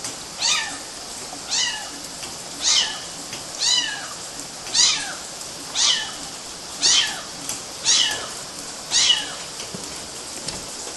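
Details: Several kittens scrambling up mosquito nets, Galati, Romania, June 2012: a run of nine shrill, falling meows, roughly one each second in a steady rhythm, over a soft background hiss.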